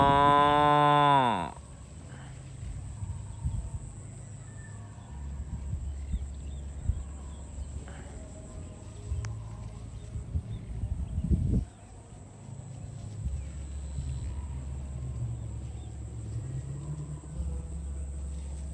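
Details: A cow being herded with other farm cows to the barn gives a loud, rich moo at the start, followed by a low rumble of background noise.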